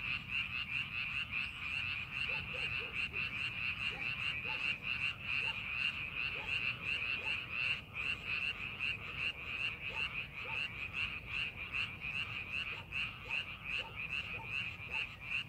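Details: Massed frog chorus from rice paddies prepared for farming, unbroken rapid croaking pulses about two or three per second throughout, with scattered lower, quieter notes from other frogs and a soft low rumble.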